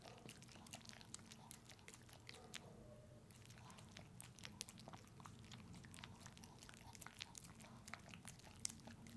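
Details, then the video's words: Pepe, a puppy, working through peanut butter in an ASMR close-up: steady sticky licking and tongue clicks, with a brief lull partway through, then dense smacking again against a low indoor hum. "Watch my dog eat peanut butter!"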